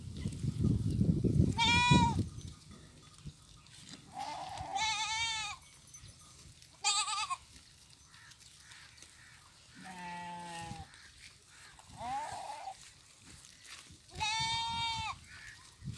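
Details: Farm goats grazing in fields alongside sheep during mating time, with about six separate bleats: some high and quavering, one lower and flatter, each lasting under a second, separated by quiet gaps and faint field noise.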